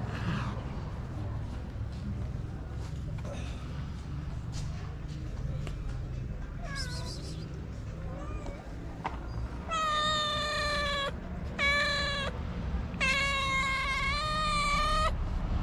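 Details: Abandoned cats in Morocco crying for food at a small shelter, unwilling to share; quiet rumbling background for the first half, then three long, loud, wavering meows in close succession.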